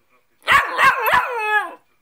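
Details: A pet Cockapoo answers back while being told off indoors, giving a loud drawn-out harmonic yowl of three quick pulses that slides downward and fades, lasting over a second.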